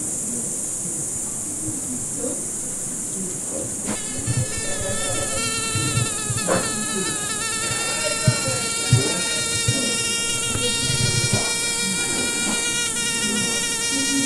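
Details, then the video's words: Fly buzz that starts after about four seconds and then drones on steadily with a faint wavering pitch, over a constant high-pitched hiss and soft low rumbling. "Звук мухи. Жужжание мухи."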